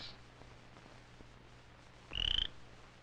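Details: Cricket frog, named for its cricket-like sound, from a 1959-60 film on amphibians: after quiet hiss, one short, high, rapidly clicking trill rises slightly near the end.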